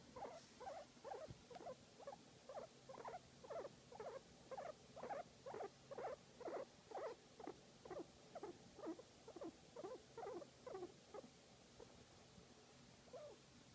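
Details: Guinea pig enjoying being massaged, uttering a long steady train of brief squeaky pulses around two per second that slowly soften and trail away near the end.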